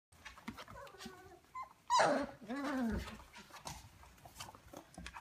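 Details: Rhodesian Ridgeback puppies, 26 days old, indoors; one sudden high yelping whine that slides downward over about a second, preceded by faint rustling and followed by quiet shuffling and soft noises.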